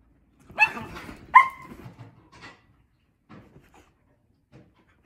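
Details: Mini Dachshund and Husky on a play date; two sharp, high barks in quick succession followed by softer grumbling and scattered faint yips, indoors.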